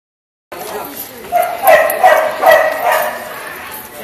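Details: Two female Dachshund rescue dogs in Connecticut, siblings: a burst of yappy, rhythmic barks roughly every half second, mixing with whimpery tones, after a brief silence.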